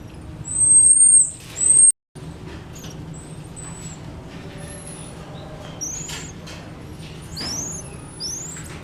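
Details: Black-tufted marmoset at Japan Monkey Centre, Aichi, Japan, a friendly animal that moved away when approached; thin, very high whistles, first long level notes, then short curving sweeps rising and falling, over a steady low hum with a brief silent gap.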